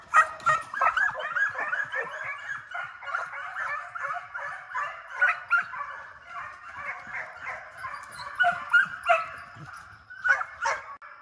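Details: Several hound pups raised for deer, now chasing coyotes in a high-speed fox pen in summer, keep up a continuous chorus of overlapping yelping bays and chop barks, pulsing several times per second.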